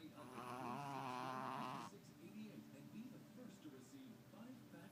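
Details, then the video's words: Tubby the Chihuahua, fast asleep, lets out a loud, rattling snore of nearly two seconds with a rich buzzy tone, cutting off abruptly into faint, raspy breathing. "Snoring Chihuahua in stereo..."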